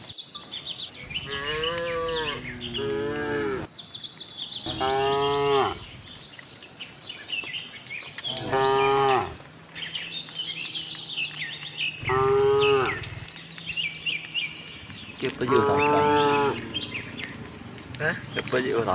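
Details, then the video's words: On a cattle farm a herd of tame cows searching for fresh grass moos again and again, five loud harmonic bellows roughly every three seconds, with birds twittering high behind them. "cute tame herd of cows - looking for grass, cow mooing sound"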